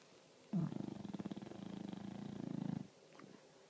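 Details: English Bulldog snoring: a single drawn-out, low rattling snore lasting about two seconds, made of fast regular pulses, followed by quiet breathing noise.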